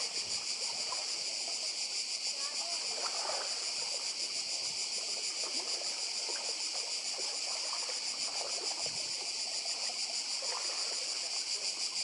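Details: Cicadas by the sea on Badija Island, Croatia: a loud, steady high buzzing wall of sound with quick pulsation, accompanied by lapping water and occasional splashes.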